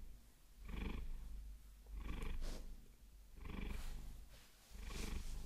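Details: Maine Coon cat Vasilisa being massaged with long fingernails; low rumbling purr swelling and fading in time with her breathing, roughly every 1.4 seconds, faint nail scratches now and then.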